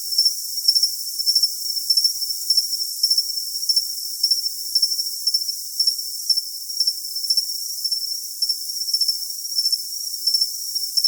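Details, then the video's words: Continuous cricket chirping meant for tinnitus masking, with rapid clusters of shrill pulses recurring about every half second above an unbroken high hiss, no other sounds. "Cricket Sound for Tinnitus Masking"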